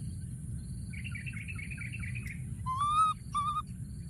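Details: A young monkey hides among thorny branches and keeps calling for a companion. A buzzy, wavering sound comes first, then two loud, clear tonal calls, each slightly rising and falling, over a low background rumble.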